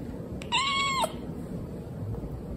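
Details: Rescued kitten told to wait and not follow as laundry is hung out; a single bright meow about half a second long, level then dipping sharply at its close, with faint room hum behind.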